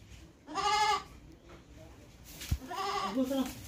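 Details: Goat bleating twice: a loud, harmonic, wavering bleat of about half a second, then a pause with a sharp knock, then a second longer quavering bleat ending lower.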